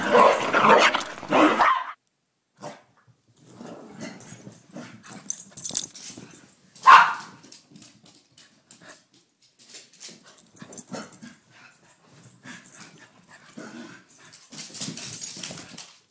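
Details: Rusty playing with Elliott the corgi, two dogs at play: a short burst of barking at the start, scattered soft noises and yips, and one sharp single bark about seven seconds in, with quiet gaps between.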